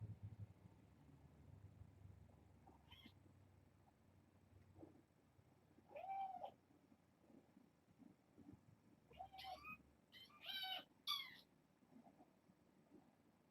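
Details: Indoor bedtime scene with a litter of kittens born August 29: a mid-pitched mew, then a quick cluster of three or four high, squeaky meows near the end, with low rumbling and handling noise.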